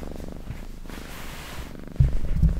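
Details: Domestic cat purring for an ASMR recording: a steady, very low rumbling made of rapid even pulses, growing noticeably louder and stronger about two-thirds of the way through, with no other clear sounds.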